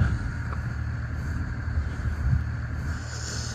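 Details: Steady low wind rumble buffets the microphone outdoors, with a faint brief high hiss near the end and no animal voice.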